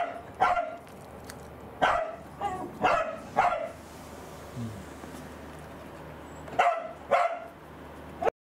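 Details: Pet corgi Angela, who has lost her appetite from anticancer drug side effects, lets out about half a dozen short clipped barks, some in quick doubles, around a quiet gap in the middle, before an abrupt cutoff.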